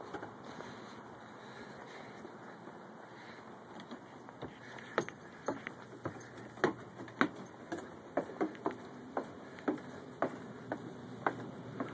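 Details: Soft steady hum under a series of sharp irregular clicks and taps growing more frequent in the second half, with no animal voice.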